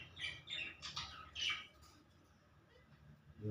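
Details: Baby squirrel about one month old, hand-reared and eager for food while being fed; four quick, faint, high chirping bursts within the first second and a half, then near quiet.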